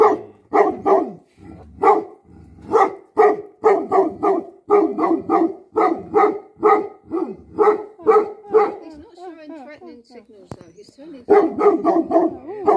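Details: Bhote Kukur, the Tibetan Mastiff kept as a guardian dog in Nepal, barks in fast deep volleys, pauses while a person speaks briefly, then resumes barking rapidly.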